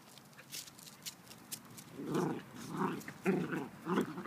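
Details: Miniature dachshunds playing outside, rough play-growls and grumbles in four throaty bursts about half a second apart, with scuffling and rustling noises in the background.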